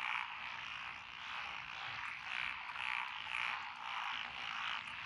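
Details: Paddy frogs calling in lotus rice fields in Echizen, Fukui Prefecture, Japan, June 2021; a thick, buzzy background chorus with occasional louder croaks rising above it, nearly two per second.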